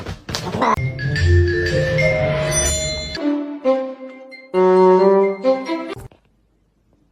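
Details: Bright mallet-percussion music with xylophone-like notes plays, then cuts to near silence, with no animal sound present.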